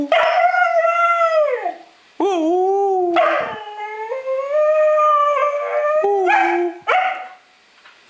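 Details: Young Siberian Huskies howling together: several overlapping drawn-out, wavering howls that rise and dip, with short breaks between phrases and some voices stacked at different pitches.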